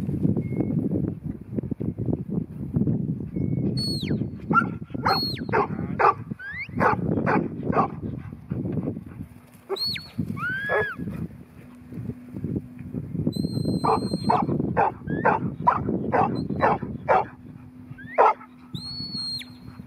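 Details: Ten-month-old New Zealand Huntaway bitch giving repeated deep barks in irregular bursts, roughly two a second, while high whistled bird calls and sweeping chirps sound throughout, with a faint steady hum in the background.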